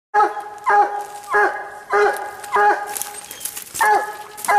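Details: Treeing Walker Coonhound barking at a treed raccoon during a cold night hunt; loud, ringing harmonic barks with a falling bawl tail, repeated roughly every 0.6 seconds, men talking quietly nearby.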